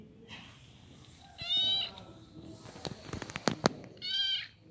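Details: Little kitten giving two high, clear meows with bright harmonic overtones, each about half a second long and roughly two and a half seconds apart, with sharp clicking or tapping noises in between and faint background murmur.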